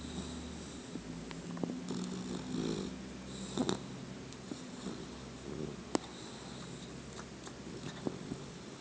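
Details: A 12-week-old male bulldog-pit bull mix puppy, napping and dreaming while chewing, makes low, snoring grunts and soft whimpers in his sleep.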